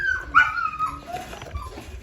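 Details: A thirsty Labrador Retriever lets out a short, high, nasal whine that jumps up and then glides downward over under a second, followed by quieter breathy sounds.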